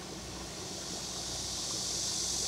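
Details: Cicadas on Nami Island by the Bukhan River, Gangwon-do, Korea, on a hot summer day give an unbroken, high shimmering buzz that swells slightly toward the end, blending into one continuous drone alongside water sounds.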